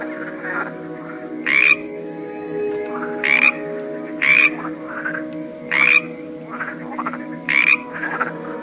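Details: Several frogs croaking: five strong, rasping croaks at uneven intervals of one to two seconds, softer, lower croaks filling the gaps, with a constant droning tonal accompaniment underneath.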